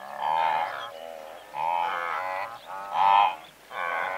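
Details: Blue wildebeest in a herd of several hundred, heard at medium-close range: drawn-out nasal honks about a second apart, each with a droning harmonic tone, over a background of other herd members grunting.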